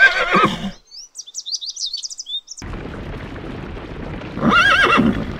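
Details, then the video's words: Horse neighing in two short bursts with quavering, wavering tones at the start and end, separated by a stretch of high chirping music-like sounds and a low background hiss. "the sound of the horse - horse neigh"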